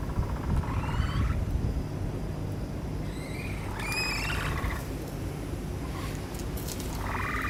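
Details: Capybaras on display in the Capybara Forest exhibit at Nasu Animal Kingdom: faint thin whistled calls, some with rising tones, scattered among loud steady low rumbling background noise.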